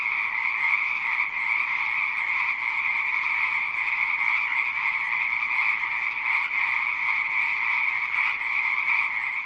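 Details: Nearly ten seconds of massed frog croaking, a constant rasping hum with slight pulsing swells, no pauses between calls and no other animals or voices noticeable.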